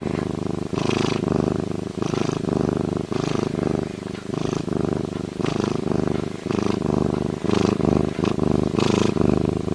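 A lynx purrs in a deep, steady rumble with rhythmic surges roughly every second.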